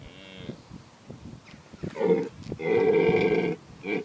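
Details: Red deer stag roaring during the autumn rut at Tatton Park, Cheshire, while defending his harem of females from rival stags: a loud, harmonic bellow swelling near two seconds, then a longer sustained roar, with a shorter call at the end.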